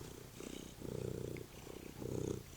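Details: Domestic cat lying on a couch just before going to eat dinner, purring steadily: a low, rough rumble pulsing in waves with each breath, three swelling bursts with quieter gaps between, close and clear without other sounds.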